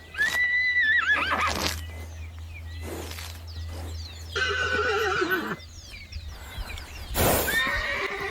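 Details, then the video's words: ['Horse whinnying repeatedly: several shaky neighs that fall in pitch, with sharp broadband bursts between them and a steady low hum underneath.'] "som dos cavalos/cavalos relinchando"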